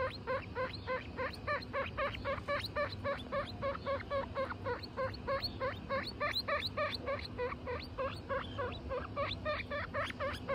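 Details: Guinea pig family of four, mother Butter with her babies Lion, Tofu and Mochi: a steady run of short harmonic squeaky notes, about three to four per second, continuing evenly throughout with a faint low background hum.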